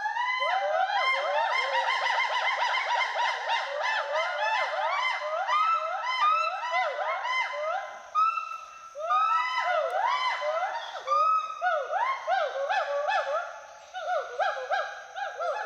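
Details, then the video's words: Dense, nearly continuous whooping from two Western hoolock gibbons swinging through trees at Hollongapar Gibbon Sanctuary, Assam; rapid arched hoots overlap, with a few longer, steadier notes, as social and territorial calling. "The sounds of Western Hoolock Gibbons playing among trees fill the Hollongapar Gibbon Sanctuary"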